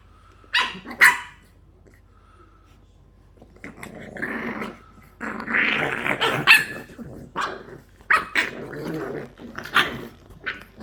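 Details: English bulldog puppies at play give sharp, high yips mixed with rough, rumbling growls and grumbles.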